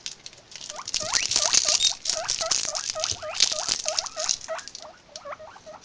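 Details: Several guinea pigs, filmed on an Android phone, give a rapid run of short squeaks, each sweeping up then bending down, about four per second, over steady rustling and scratchy patter.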